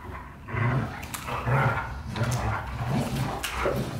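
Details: White Golden Retrievers James Bond and Luna: deep, rough growling rumbles broken by short harsh bark bursts, several in quick succession over four seconds, with scuffling noise between them.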